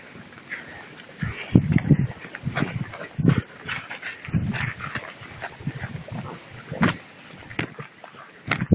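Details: Two-month-old puppies playing with a rag in prey drive training, making low rough growling bursts in quick clusters, with a few sharper yips and scuffling sounds between them.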